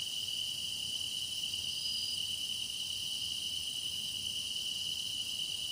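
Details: Grass insects singing in a meditation recording of deepening autumn-style insect song: a steady, continuous high trill holds one bright tone, with fainter shimmering layers of other insects above it, unbroken throughout.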